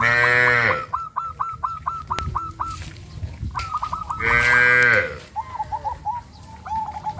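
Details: Frightened cattle on a traditional village farm, running into the forest, give two loud, rough moos about four seconds apart. Between them, bursts of rapid, hooked bird notes repeat several times per second.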